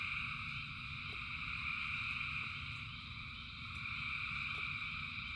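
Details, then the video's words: Rain-time frog chorus from thousands of frogs: a dense, rolling high-pitched trill, gently pulsing in loudness, over a low steady hum with a few light taps. "Frogs in Rain 2 Hours of Frogs, Thousands of Frogs Singing"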